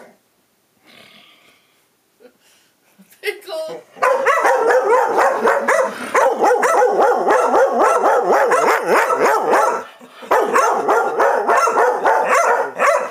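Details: Dogs Chewy and Rosie quarrel noisily. Faint sounds and a brief voice come first, then a dense, overlapping run of rapid, wavering woo-woo barks lasts almost nonstop, with a short break near the tenth second.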